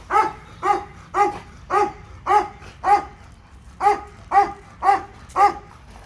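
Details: Leo the Labrador Retriever at a dog park, barking eleven times in a row. The barks are full and mid-pitched and come about twice a second in a fairly even rhythm over quiet background.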